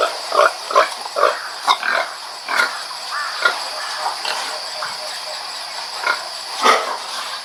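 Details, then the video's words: Pig making short, evenly spaced grunts, about one every half second at first, then slower scattered grunts, set against a steady hiss. "Pig Sound Effect"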